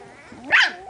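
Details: Single short high yap from miniature pinscher puppies playing, five litters together in Otego, New York, swelling suddenly and cutting off within a fraction of a second.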